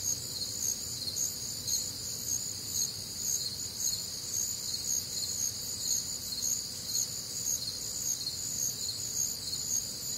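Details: Midwestern crickets chirping on a warm, humid summer night, a continuous high-pitched ringing chorus beating in rhythmic pulses close to two per second, alongside a faint low drone.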